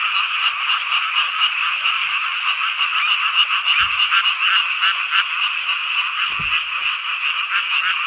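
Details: Midsummer night frog chorus in Hongcheon, Gangwon Province, Korea, a rural hometown setting; many frogs croak at once in an unbroken, rapidly pulsing mass, with two brief low knocks in the background.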